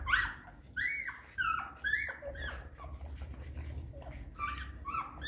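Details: Hungry newborn puppies nursing from their mother: a series of high squeaky whines and yelps, several overlapping, each rising then falling, some in quick succession, over low background rumble.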